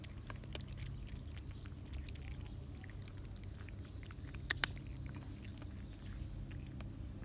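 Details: Eating cats on a summer day, with milk on offer: scattered wet chewing clicks, a couple of sharper bites near the middle, and a constant low hum underneath.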